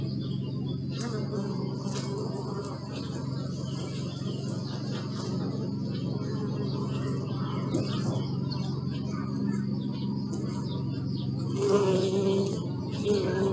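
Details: Bees humming in a steady, low, droning buzz. A louder bee passes close near the end with a brief rising whine. Faint chirps and background noise are audible above.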